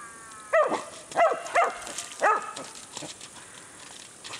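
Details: Whippets on their first encounter with a horse give four clipped, yelping barks in quick succession, then fall quiet.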